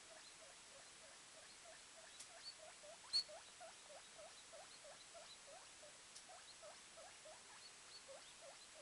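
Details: A 24-hour-old male guinea pig, the smaller of a two-pup litter, gives a rapid series of short, soft squeaks over a faint hiss while running around.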